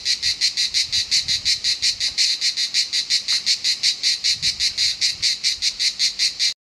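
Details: A cicada in Southern France sings a loud, harsh buzz broken into rapid, even pulses several times a second.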